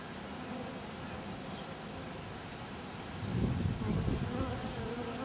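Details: Honey bees at a hive's landing board, where a praying mantis hangs eating a bee; a dense, low continuous buzzing hum that swells louder after about three seconds, with no other clear sounds.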